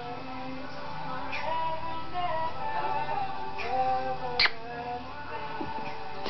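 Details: Synthesized music with singing-like tones plays in a small room, with a few sharp clicks and no animal voice.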